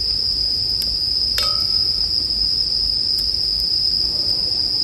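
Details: A bell cricket's bright, unbroken trill sounds on one high pitch, while burning firewood gives occasional sharp snaps and a brief lower ringing tone.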